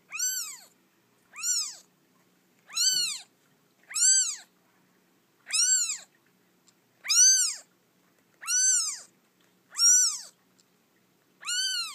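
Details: Orphan domestic kitten only a few days old, rescued from a feral cat colony, giving high, arched meows with rich overtones, repeated roughly every one and a half seconds in a quiet room.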